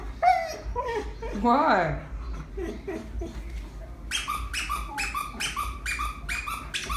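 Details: Pet husky crying indoors because it does not want the deer squeezed; wavering, high whines and a rising-falling cry in the first two seconds, then a run of short, evenly spaced bursts.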